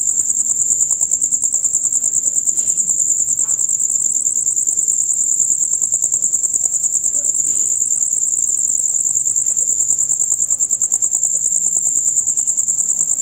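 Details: Male crickets chirping loudly and rapidly in their usual dusk-till-dawn concert, a piercing high pulsed trill repeating about three times a second throughout, with a couple of brief soft thuds in the background.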